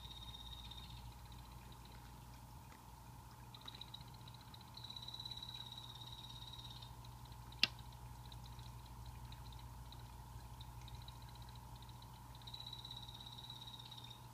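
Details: Pet blue-bellied poison frogs (Hyloxalus azureiventris) in a planted Exo Terra vivarium with a natural setup; high, buzzy trills come in three bouts lasting two to three seconds each, over a steady low hum, with one sharp click midway.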